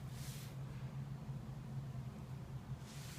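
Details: No animal sound is heard, only a steady low hum with soft broadband hiss swelling briefly at the start and end.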